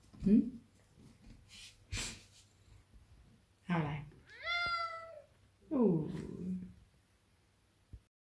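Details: Large Maine Coon cat seeking affection indoors: a clear, tonal meow that rises and falls at mid-clip, framed by a woman talking in Thai and soft household noises.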